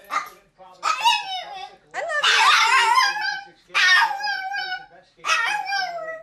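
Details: Rusty, a pet dog, making drawn-out howling vocalizations meant as "I love you": four wavering, moaning phrases with falling tails, separated by short pauses, indoors.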